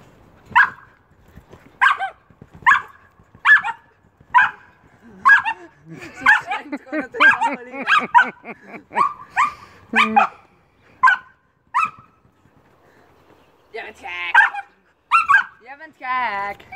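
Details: Jumping Old English Sheepdog named Amy barking about once a second in a regular series. Mid-clip the barks mix with excited whining sounds and human voices, then a few more barks and squeaky yelps close it.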